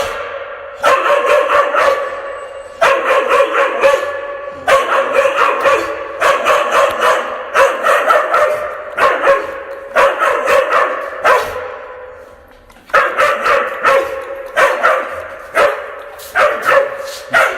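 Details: Indoors on 11 February 2022, a fierce-sounding dog barks at close quarters, the room giving reverberation; quick runs of harsh, repeated barks in groups, a longer quieter gap near the middle before barking resumes.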